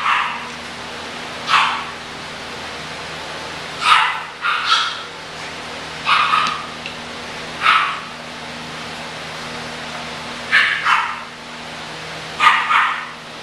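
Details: Young English bulldogs bark in scattered bursts, about nine sharp high barks, some in close pairs, separated by quiet gaps, over a low steady hum.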